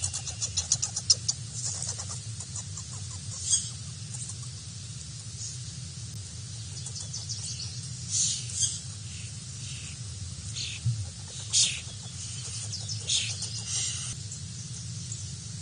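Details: At BWHQ a visiting native red squirrel lets everyone know it rules, giving short harsh bursts of fast broadband chatter every few seconds, each a scratchy rattle, against a constant low background hum.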